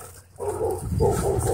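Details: Dog at a dog park during wild play, giving a short run of low, rough growl-barks that starts after a brief quiet moment, about three pulses in one second.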